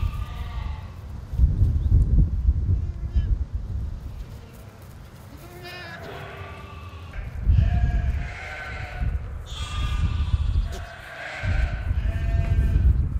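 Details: Several drawn-out, quavering goat bleats come from a meadow where a TV programme was being filmed. Some calls are short, others long and tremulous. Strong low wind rumble and gusts run underneath throughout.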